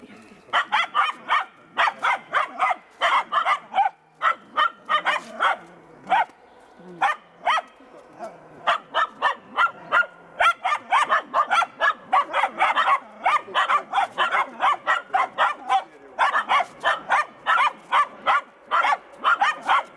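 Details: Finnish Spitz barking while working a raccoon on a hunt: rapid, sharp, evenly repeated barks, several per second, sustained throughout with only brief pauses; faint human speech beneath.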